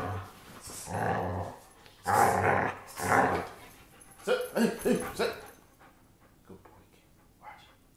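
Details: German Shepherd in a room giving loud, drawn-out growling grumbles, then a quick run of shorter throaty pulses that fade into quiet whimpers, with some human speech.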